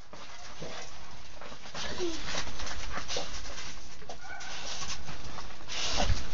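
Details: Bulldog under attack by a schnauzer, dogs scuffling: rough, noisy growls and snarling bursts come in uneven waves, with a person urging one dog on nearby.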